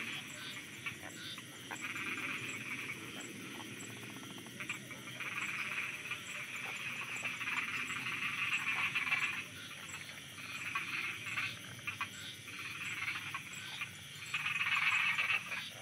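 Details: Frogs croaking at night in Thailand, a dense chorus of rapid, rattling calls layered thickly in the upper-middle range, swelling and fading in waves with steady insect-like buzzing above.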